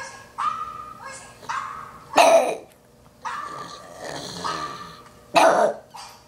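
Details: A pug reacting to a dog on a screen gives drawn-out whining yelps that rise into sharp loud barks, two strong bursts a few seconds apart, against a faint background hum.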